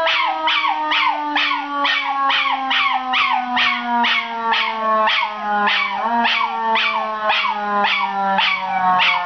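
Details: ['A young male miniature schnauzer named Zig, 8 months old, answers a siren with a long run of quick, sliding yip-howls, each dropping in pitch, while a steady wail holds underneath and slowly lowers.']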